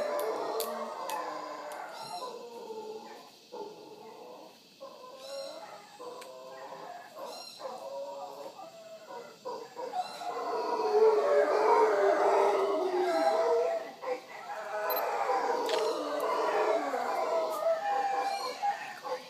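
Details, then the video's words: Wild howler monkeys in the morning at Punta Uva on Costa Rica's Caribbean coast near Manzanillo Wildlife Refuge; a rolling roaring chorus rising and falling, with faint sharp clicks or bird notes above. "Howler Monkeys of Punta Uva Costa Rica"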